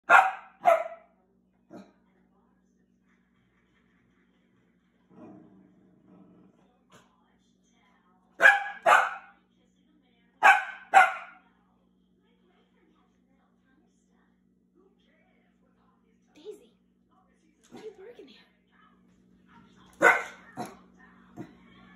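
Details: A Corgi puppy barking at a stove gives sharp, high barks in quick pairs, with long pauses between bursts.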